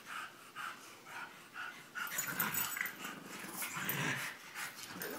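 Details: French Bulldog and English Bulldog wrestling, second round: soft rhythmic snorting at first, then louder tangled growls and huffs from the tussling pair.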